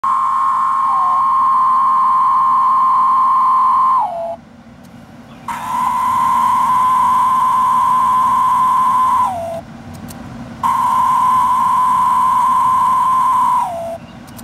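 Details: Several captive male Magicicada tredecim, Brood XIX cicadas caught in Monticello, Arkansas on April 30 and May 1, give long, droning buzzes that sag in pitch at the end; a female responds twice with wing flicks.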